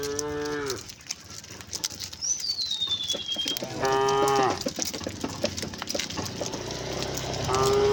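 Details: Cows living locally, wandering along a road, give short moos: a brief low moo, a longer steady one midway and another beginning at the end, with a thin falling bird whistle and background hiss between them.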